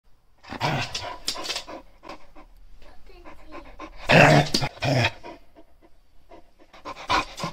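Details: Shar Pei dog growling and sneezing while rummaging through pockets, recorded in 2021; bursts of rough, noisy snorts and sneezes with pauses between them, and a loud blast at about four seconds.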